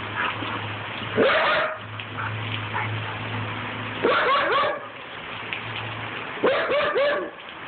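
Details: A playful 14-month-old Siberian Husky named Bear, also called Megatron, goes wild over a broom. Three bursts of yelping, slightly rising barks come about every two to three seconds, with a low hum and scraping between them.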